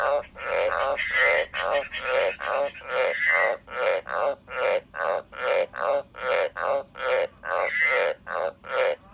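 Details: A pet frog calls in quick rhythmic croaks, harsh and rasping, repeated a little faster than once a second in an even train, some pulses carrying a thin whistled tone; quiet background.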